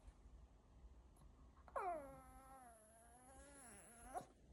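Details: Glen, a Pomeranian, acting as an alarm indoors, gives a sustained, steady, tonal howl lasting over two seconds that dips slightly, then rises sharply at the end, with rich harmonics over a quiet room hum.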